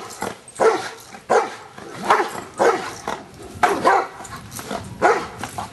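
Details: Schutzhund stick hit session with Luther the Giant Schnauzer: deep harsh barks, sometimes doubled, coming roughly every second over a low background.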